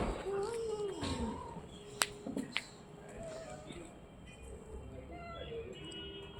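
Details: Orange and white cat giving a drawn-out, falling meow in the opening second, then sharp clicks and knocks near the middle, followed by faint, thin tonal murmurs over a steady hiss of background noise.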